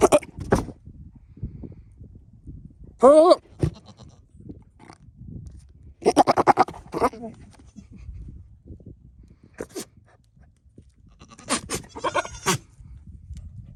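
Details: A male Nigerian Dwarf goat, having escaped his pasture after scenting a female in heat, gives wavering, bleating bursts to flirt with the females.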